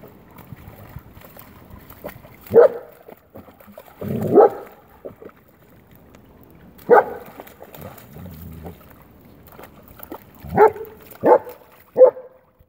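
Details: German Shepherd enjoying rainwater outdoors, barking in short, sharp single woofs spread irregularly over the recording, with long gaps early on and three barks bunched more closely near the end.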